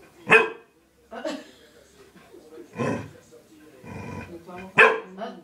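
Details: Dog that wants to go out but cannot, barking in short loud bursts, about five barks spread unevenly over several seconds, with faint voices in between.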